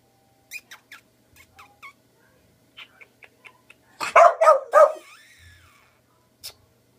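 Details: Light tapping and clicks, then Dixie the Boglen Terrier, a Beagle and Boston Terrier cross, barks three times in quick succession, the last bark trailing into a brief fading whine, with one more click after.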